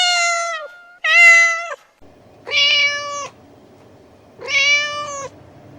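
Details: Cat calls for summoning cats: four clear, sustained meows with rich harmonics, spaced about one and a half seconds apart, the last two over a low background hum.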